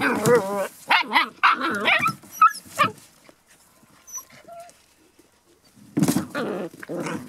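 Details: Border Collie puppies, a litter seven and a half weeks old, giving high wavering yelps and whines in quick bursts, then a pause with faint squeaks before another burst of yelping; a person exclaims briefly.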